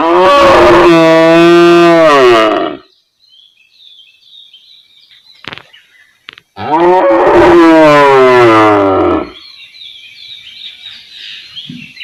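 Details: Cow in a village area giving two long, deep, drawn-out moos, the second slightly wavering, with a quiet gap between them holding faint high bird chirps.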